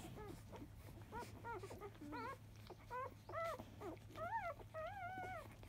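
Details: Newborn field-line Labrador Retriever puppies, day five, feeding at 10 a.m. from biscuit, 2017 JFA Grand Champion. Rising-and-falling squeaky whines follow one another about once a second, some longer and wavering, over a constant low electrical hum.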